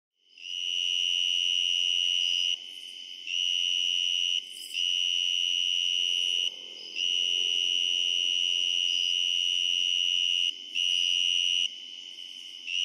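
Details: On a summer night, tree crickets give a steady, pure, high-pitched trill in long unbroken bouts with brief pauses, with other distant crickets and katydids behind.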